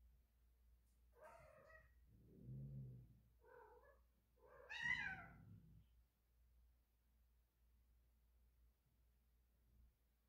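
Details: Domestic cat in heat giving a series of drawn-out, wavering meows broken by low, rumbling growl-like moans, each lasting about a second, in a quiet indoor setting.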